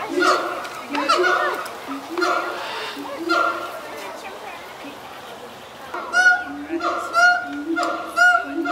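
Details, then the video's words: A pair of zoo siamangs on their island, singing on a typical morning with inflated throat sacs: a loud chorus of harsh, honking hoots repeated about once a second. "A Morning Choral Performance by our Siamangs"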